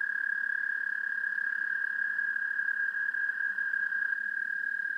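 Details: American toad recorded by parabolic microphone giving a steady, high, rapidly pulsed trill at one pitch throughout, with a faint second trill in the background.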